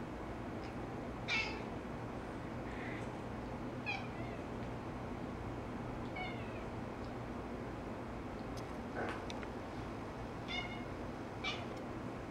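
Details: Pet cat indoors in a living room, chirping at a laser dot on the ceiling while chasing it: short, bright, rapidly stuttered chirps with stacked overtones, about six bursts at irregular intervals over a steady low room hum.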